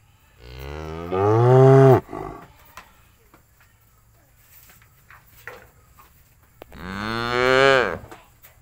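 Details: A cow in a cowshed, with the herd eating grass, lows twice: a loud, sustained moo that bends downward, then quiet rustling and faint clicks, then a second drawn-out moo rising and falling.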